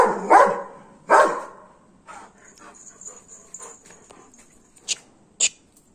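Two loud, full-throated barks from a Golden Retriever come about a second apart, aimed at chasing off monkeys. Softer rustles and a faint high, steady whine follow, with a couple of sharp knocks near the end.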